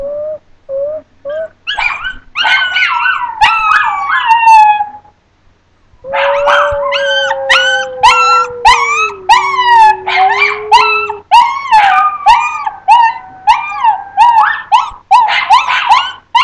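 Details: Two Chinese Crested dogs, two and three years old, howling together: long sliding tonal howls with rich harmonics, one low steady wail dipping near the middle, others yipping and wavering higher, brief pauses between phrases.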